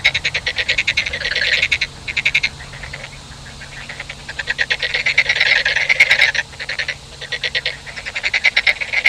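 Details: Frogs calling in rapid clicking rattle bursts of a second or two, several callers overlapping, with short gaps between bouts.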